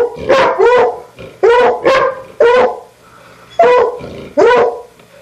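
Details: Pet dogs giving loud, clear, ringing barks, mostly in quick doubles: two barks close together, a short gap, then another pair, about seven barks in five seconds.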